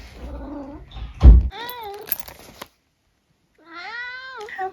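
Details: Eric, a 14-year-old tabby cat living at home in the UK, gives two drawn-out meows, the first followed by a bend and the second held level before dropping, with a short gap between them and faint room sounds.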